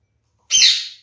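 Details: Male kakariki parakeet, one of a captive pair kept with fresh water always available, gives a single loud, harsh, raspy squawk lasting about half a second and fading out. A quiet indoor room is otherwise silent.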